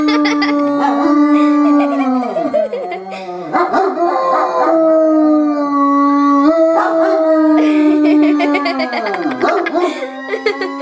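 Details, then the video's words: Two dogs, both 2 years old, howling at a fire siren: long wavering howls that slide down and rise again, overlapping a steady siren tone that holds level then dips and climbs. "Dogs Dislike Firesiren"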